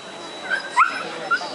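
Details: Siberian Husky in the open female class at the International Dog Show of Rende, 2012, giving two or three short, high whimpering yips that slide upward, with Italian speech from people nearby.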